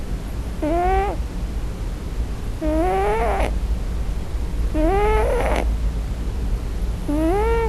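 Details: Male Scottish Fold cat crying in his sleep for his mother on his first night, four drawn-out harmonic mewing cries, each rising then falling, spaced about two seconds apart over a steady low hum.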